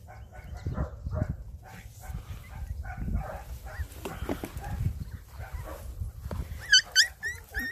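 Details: Mini Dachshund puppies playing with a five-month-old Pug: short, high yelps and whiny yips come in quick uneven bursts over low thumps of scuffling paws, with a few sharp squeaky cries near the end.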